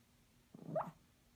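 A Toy Poodle gives a single soft, muffled woof while dreaming in its sleep.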